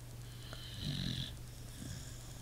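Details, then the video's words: Sleeping pit bull giving a single low, rattling snore with a breathy whistle, set against a constant electrical hum. "Pit bull snoring"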